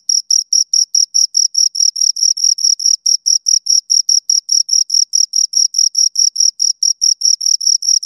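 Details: Two crickets give crisp, high-pitched chirps in a tight, metronome-like series, around five per second, each pulse short and equal in loudness; silent background.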